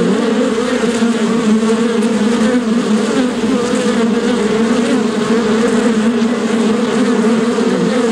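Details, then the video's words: Steady droning hum of many bees, layered buzzing tones holding level throughout with slight wavering pitch, no other clear sounds. "Shinni / bees"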